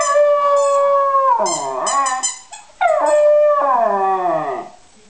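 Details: West Highland White Terrier howling in a drawn-out, tonal song: a long steady note that slides downward, a short break, then a second sustained howl that falls away, with clear harmonics throughout.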